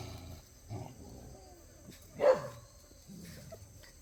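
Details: Jindo puppies, offspring of Cheondori, playing together; one short sharp yelping bark rises out of soft background rustling midway through, with a few quieter low grunts before and after.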